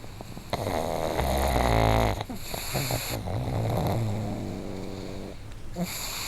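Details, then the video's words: Loud synchronized snoring from two pugs living in the same household. Heavy, low, rattling snores swell in the middle of the clip and then ease into steadier, quieter rasps. "【パグ】いびき動画集 多頭飼いで爆音がシンクロ"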